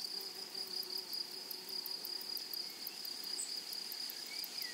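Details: Flowery meadow grasshoppers keep up a constant piercing buzz layered over rapid high ticks, with no pause in the stridulation. A couple of soft, distant bird notes rise near the end.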